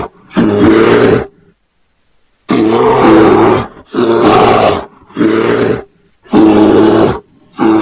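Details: Bear roaring during mating: loud, harsh, throaty roars of about one second each, five bursts separated by short silences, with one longer pause early on.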